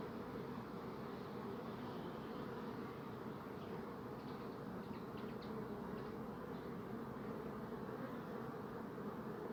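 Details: Bees buzzing in a thick, continuous drone, a steady low hum layered in bands without pause, with faint brief flickers of higher wing noise drifting above the steady murmur.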